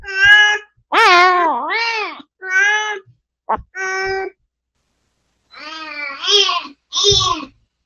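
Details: Spayed mother cat Mideok, recovering indoors after surgery and reunited with her kittens, gives about seven drawn-out, wavering meows in eight seconds, several bending down and up again, with a pause midway.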